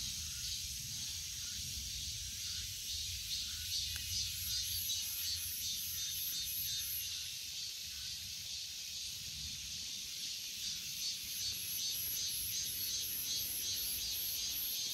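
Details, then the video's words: Unbroken high-pitched cicada buzzing with rapid pulses in the top band, fading slightly mid-clip and then strengthening again. "Cicada 매미"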